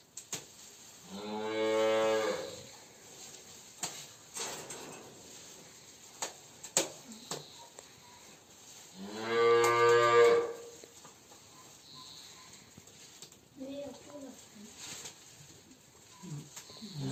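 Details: Two long, deep, harmonically rich moos about eight seconds apart from a Simmental cow on a farm. She is one of two in silent heat, given a hormone device by a vet ahead of insemination. Faint knocks and voices occur between calls.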